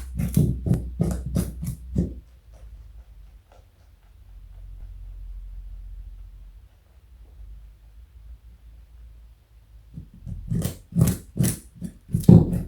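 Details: A pet bunny named Joey, 4.6 kg and over 60 cm long, munches a carrot in a small room: a run of quick crunchy bites, several seconds of near silence, then another fast burst of crunching.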